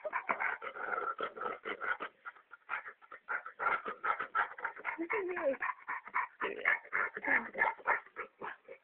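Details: While getting a massage, a dog keeps up strange rapid whimpering and grumbling noises in quick uneven bursts, some sliding up and down in pitch, with a person's voice reacting nearby.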